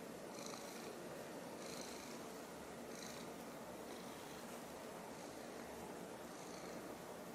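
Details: Silver tabby domestic cat purring with wide black pupils while looking up at a toy taken away from her; a steady soft rumbling purr with faint rhythmic pulses roughly every second.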